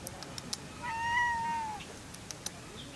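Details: Black cat met in Kyoto, Japan, greeting with a slightly husky voice: one drawn-out meow of about one second, held level and then falling slightly at the end, over quiet background with faint clicks.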